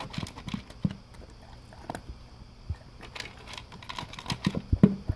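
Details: Male English cream golden retriever at breakfast, crunching dry kibble from a blue slow-feed bowl with concentric circles; quick tapping crunches and bowl clicks, uneven in rhythm, a few sharper bites toward the end.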